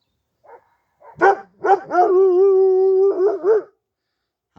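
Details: Kangal dog in a garden after chasing off six other dogs: a few deep barks run into a long, steady, drawn-out howling tone lasting over a second, then two more barks.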